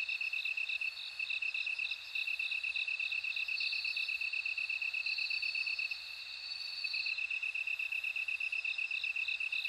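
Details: Bell cricket chorus as a nature sound: a steady, rapidly pulsed high trill runs throughout, while a higher ringing series of bell-like notes rises and fades between about three and seven seconds, with several insects overlapping.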